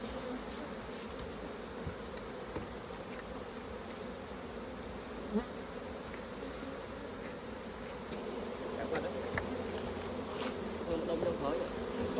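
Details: Continuous humming of a honey bee colony while its hive is opened for honey harvesting. The even drone swells slightly in the last few seconds, with scattered faint taps and knocks.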